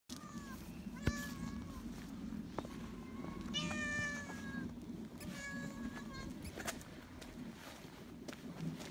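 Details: Timid, low-ranking tuxedo-patterned female cat, a younger sister lodging with a white-and-brown cat family, gives a series of short, clear, harmonic meows, some rising then falling, spaced irregularly over a steady low background rumble.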